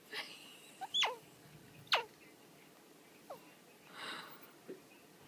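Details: A rescued baby squirrel, found fallen between the walls of a warehouse workplace and held in gloved hands, gives sharp, high squeaks that sweep steeply downward, spaced irregularly.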